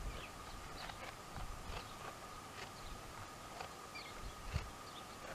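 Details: Two dromedaries, Jamahl and Laila, calmly chewing the cud: soft, dry crunching strokes repeated roughly every second over a low outdoor rumble, with faint bird chirps in the background.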